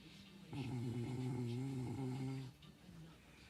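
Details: ['A dog asleep gives one drawn-out, low, buzzing snore lasting about two seconds, steady in pitch, then fades to soft breathing.']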